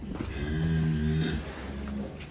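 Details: Large black Belgian Blue bull, called a monster cow, lets out a deep, steady moo while being let out of its pen. The low, droning call has a rich harmonic stack, lasts about a second and a half, then fades, with faint background noise.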